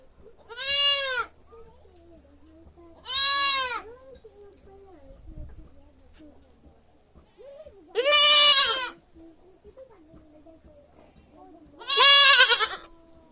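A young goat gives loud, harsh bleats, each about a second long, with gaps of several seconds between them.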